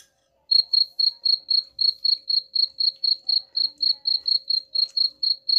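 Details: Cricket chirping to repel rats begins after half a second of quiet, then continues as evenly spaced high chirps near four per second over a faint steady hum.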